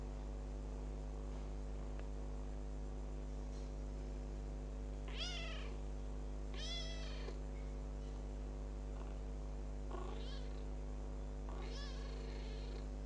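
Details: Adopted kitten ten days after arriving home, giving four short high meows that rise and fall, spaced a second or two apart, over a steady low electrical hum indoors.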